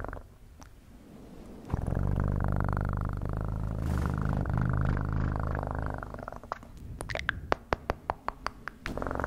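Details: Steady, deep, throbbing cat purr holding for about four seconds after a quiet start, then fading into a run of crisp clicking taps near the end.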